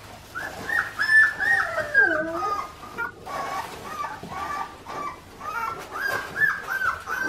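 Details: Four-week-old Australian Shepherd puppies, a litter raised with their mother Clementine on an Oklahoma farm, whimper together. Short, high, slightly falling cries repeat in uneven bursts, with a brief lull midway before the chorus resumes.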